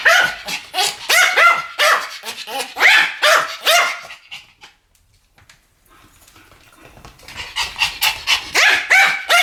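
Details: Two Pomeranians yapping in duet: rapid runs of piercing, ringing barks, a pause of near silence of about two seconds, then another quick volley of high barks.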